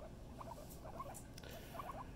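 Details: Soft guinea pig squeaks, brief and high, coming in small clusters with pauses between, against a quiet room rumble and faint clicks.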